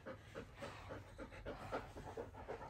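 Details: Bernese Mountain Dog indoors while a baby grooms it, panting steadily: quick, breathy pulses about four per second, even and unbroken, with faint room noise behind.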